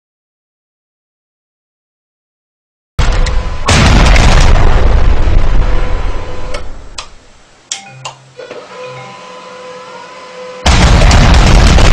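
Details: Silence gives way to loud booming, explosive bursts and music with a droning mechanical hum.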